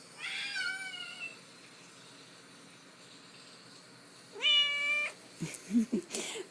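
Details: Domestic cat recorded indoors after being given a bath: a long falling meow with clear stacked harmonics, a pause of about three seconds, then a second rising-and-held meow, followed by short rough scuffling bursts.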